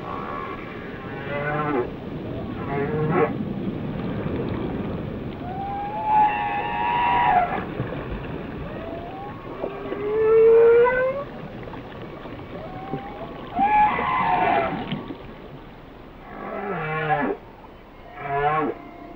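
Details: Whale song with varied units: pulsed growls, rising and falling whistles, a bright upswept cry near the middle, and rapid ratcheting bursts toward the end, over constant underwater hiss.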